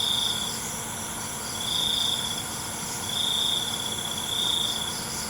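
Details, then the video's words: Nighttime cricket calling: short, shimmering high trills, four bursts spaced about a second and a half apart, set against a continuous thin insect whine. "ALUNAN CENGKERIK MALAM"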